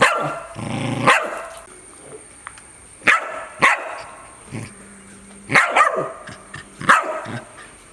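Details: A dog gives loud, abrupt barks in uneven bursts, some in quick pairs, separated by short quiet gaps; a thin constant high whine runs underneath.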